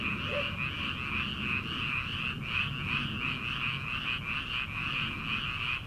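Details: Rice-field frog chorus in early summer, prior to rice planting: overlapping trilled croaks form a constant, bright, pulsing drone with no pauses.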